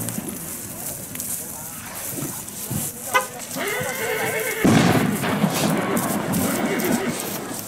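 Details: Horse at the 2020 Mirandilla village fiesta giving a harmonic whinny that wavers and then drops sharply, surrounded by voices and festive crowd noise.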